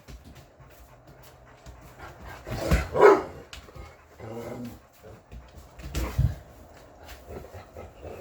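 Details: Roxy, one of six English Mastiffs (Roxy, Riley, Cammie, Sammie, Axl and Rose), answering back when spoken to: a few loud, broad woofing vocal bursts around three and six seconds, with a person's voice nearby.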